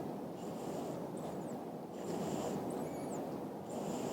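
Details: French Lop rabbit asleep, snoring in regular breathy pulses roughly every second, brief faint high squeaks between breaths, under a continuous noisy hiss.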